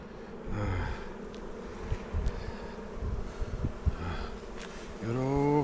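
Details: A colony of kept honey bees on Jirisan, Korea, kept indoors by bad weather. Their faint low drone goes on under scattered knocks from hive handling, and a man's voice begins at the end.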